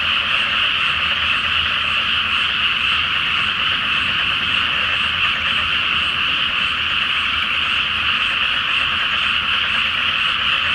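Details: Night chorus of many frogs in a water-filled Japanese rice paddy before planting, beneath a full moon; overlapping rasping croaks form a constant, even roar with fine rhythmic pulsing.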